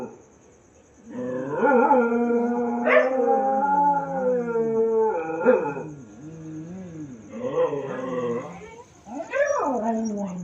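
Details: Dogs crying at night: after a second of quiet, wavering, harmonic howls rise and fall in several overlapping bouts with brief breaks, ending in a higher, sliding cry.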